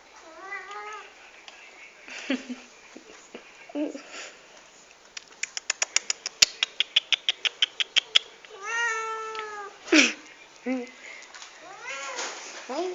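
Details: Several pet cats indoors at breakfast time in the morning: drawn-out, rising-then-falling meows, a quick run of about a dozen sharp clicks, then more wavering meows from more than one cat.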